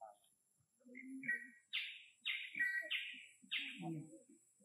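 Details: Orphaned baby monkey pleading for more food, uttering four rapid, squeaky chirps in close succession after a brief pause, mixed with soft low background voices and shuffling sounds indoors.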